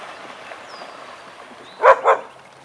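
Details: Vizslas Biscuit and Jericho at play in the den give a quick double bark, two short loud yaps close together after a stretch of low background hiss.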